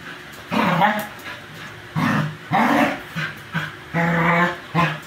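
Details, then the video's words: A beagador and an American bully during energetic play; drawn-out growling grumbles and whiny vocal bursts about half a second to a second long, repeated several times with brief pauses. "funny dog zoomies"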